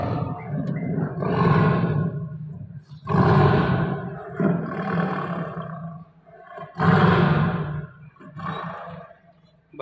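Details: A tame, captive Bengal tiger, apparently angry around feeding time while its meat is prepared, gives deep, rasping roars in a series of heavy bursts.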